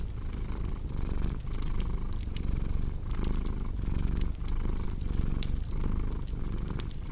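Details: Cat purring for relaxation and sleep beside a crackling fireplace: a steady low rumbling purr in cycles of about 1.5 seconds, each pause marking a breath, with sharp fire crackles and pops scattered above it.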